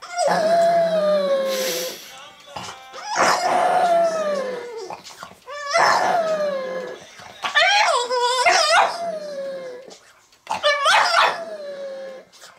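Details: A Boston Terrier howls along to a particular song it goes wild over, in long, wavering notes that slide downward, with the music playing behind.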